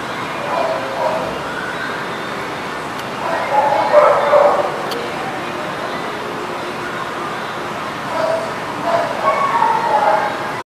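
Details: Dogs barking at The Barking Lot on 30 December 2019: a dense, continuous din of overlapping barks and yips, swelling into louder bursts around four and nine seconds.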